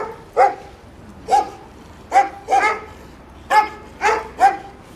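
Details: Jack Russell terrier named Cukulat teasing the inspection-station dogs at Samandira TÜV: seven clipped, mid-pitched barks in five seconds, some single and some in close pairs, over a quiet background.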